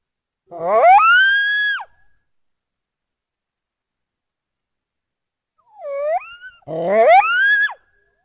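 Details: North American coyote howling twice: each howl rises quickly and holds a high, wavering tone. Between them comes a shorter, softer upward-curving call. Long silent gaps separate the calls.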